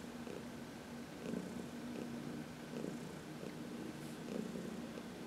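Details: Heidi, a 14-year-old senior cat adopted from the Humane Society of New York City, purrs while being massaged in the sun in March; steady low rumbling purr with soft pulses roughly every second.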